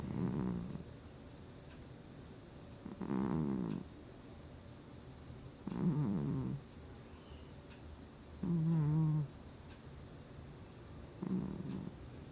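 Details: Sleeping cat named Gnusmas snoring, August 2020: low, rasping breaths every two to three seconds, one ending in a brief whistly, nasal tone, quiet pauses between, no other sounds.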